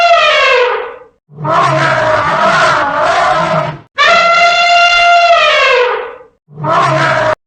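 An elephant trumpets four loud, brassy blasts, each one to two and a half seconds long, some sliding down in pitch at the end, with brief gaps between.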